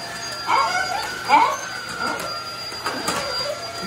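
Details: Welsh Corgi household of four dogs, Lincoln, Mary, Tad and Ad, reacting to a vacuum cleaner test at home: short rising yips and whimpering barks in quick bursts, with a steady machine hum underneath.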